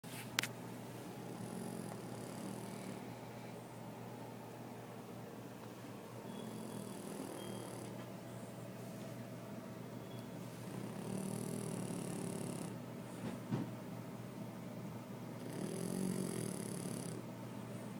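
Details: French Bulldog named Mochi snoring while sleeping spread eagle, in the NYC area; slow rhythmic rasping snores, each drawn-out breath rumbling low with a wheezy hiss, recurring roughly every four to five seconds in a quiet room.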